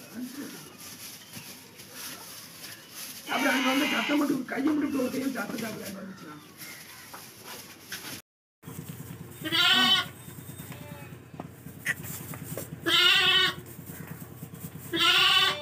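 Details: Lambs kept for sale are heard amid a human voice early on, then give three short, harsh, quavering bleats spaced roughly three seconds apart against a steady low hum.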